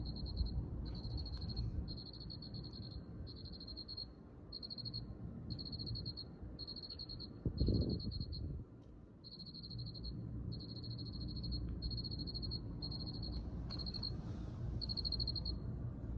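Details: Cricket producing regular high trilled bursts about a second long, repeated with short gaps, over a low rumble with one louder thud near the middle.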